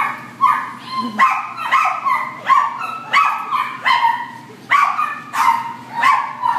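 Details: A black and tan Chihuahua at Devore yaps repeatedly, its shrill barks coming in uneven clusters of two or three, sometimes harmonically rich and slightly rising, over a steady low hum.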